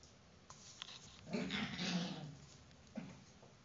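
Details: Four-week-old whippet puppy Beryll playing with his mother indoors: a brief, low, rough growl with a humming tonal core swells for about a second, framed by faint taps and scuffling.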